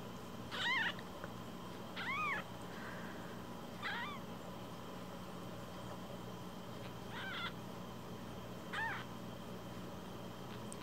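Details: Tiny foster kitten only a week old, a rescue named Cookie or Nan: five short rising-falling mews spaced roughly two seconds apart, each bright and thin, against a constant low background hum.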